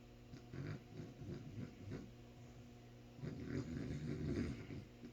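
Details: Sleeping dog snoring, low rough rumbling breaths in two bouts: a softer run of pulses early on, then a louder, denser stretch from about three seconds onward, all over a steady electrical hum.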